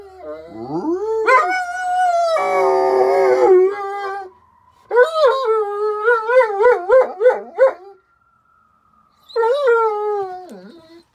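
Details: Howling at sirens, the dog Arwen gives a rising, wavering howl, a rougher harsh stretch, then a run of quick yodelling pulses. A steady siren tone carries through a pause before one last falling howl.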